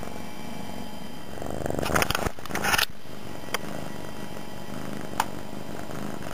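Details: Loud purring from Suki, a pet cat resting on the floor beside a computer shortly after joining the household; continuous low pulsed rumble broken by a burst of handling or rustling noise around the middle and a couple of sharp clicks.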